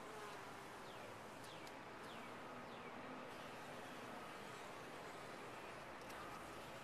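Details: Massed bees in a top-bar hive give a thick, continuous buzz with a faint low tone running under it, while thin downward-sliding chirps come through now and then.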